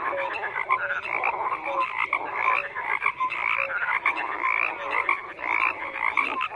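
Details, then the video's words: A crowded frog chorus: bright, buzzy croaks overlap without pause, punctuated by brief clear whistle-like notes at a lower and a higher pitch that recur every second or so. "FROGS CROAKING"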